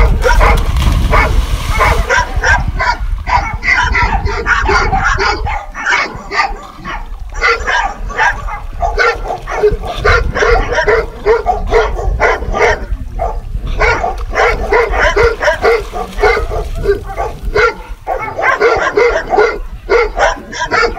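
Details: Dogs barking in a dense, almost unbroken run of sharp barks, several overlapping at once, with a low rumble of background noise throughout.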